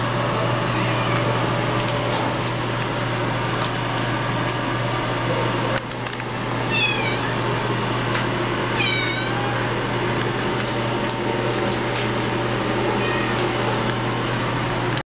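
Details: Domestic Shorthair cat up for adoption, recorded indoors on 25 February 2012, gives a few short, thin, rising-falling meows around the middle and near the end over a loud, steady mechanical hum.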